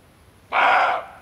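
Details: A roe deer buck gives a single hoarse, rasping alarm bark ("Schrecken"), calling attention to himself, that cuts off abruptly after half a second.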